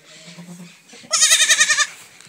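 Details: Goat in a farm pen where new kids have just been born: one loud, strongly quavering bleat lasting under a second, pulsing about eight times, after brief low male speech.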